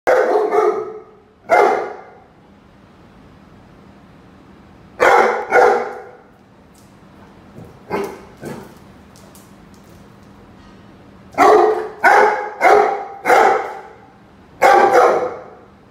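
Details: Rhodesian Ridgeback named Roady confronting a chicken, giving loud harsh barks in spaced bursts, single and in quick runs of two to four, with a faint steady low hum beneath.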